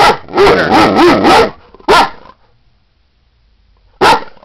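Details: A Great Dane female named Beauty asking to be let outside, giving a rolling, warbled woo-woo vocalization followed by two separate loud barks with a quiet pause between them.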